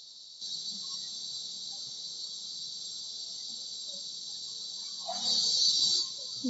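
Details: From a bedroom window, cicadas known in Tagalog as kuliglig keep up a level, high-pitched hiss. It grows louder for a second near the end, where a dog gives a short bark.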